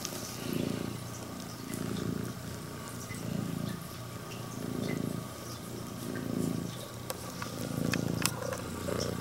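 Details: Female Scottish Fold cat with upright ears, red tabby and white, purring loudly like an engine while greeting its owner at home; low rumbling purr rising and falling in pulses about every 1.5 seconds with each breath.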